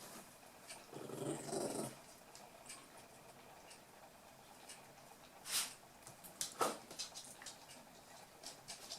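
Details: Playing toy poodle puppies, 8 weeks old, from Tami's final litter; one brief rough growl about a second long, followed by sharp clicks and taps of small paws and claws.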